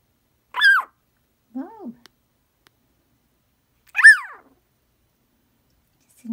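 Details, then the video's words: A female pet dog vocalising indoors: short, high, arching whine-like howls rising and falling, one higher call, a lower one, then another high call a couple of seconds later, with quiet surroundings. "My Brown-Eyed Girl Gets Vocal"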